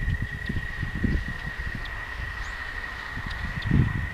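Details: Toads singing at night along a walking path: one continuous, even, high trill holds steady throughout, over low thumping footsteps and rustling.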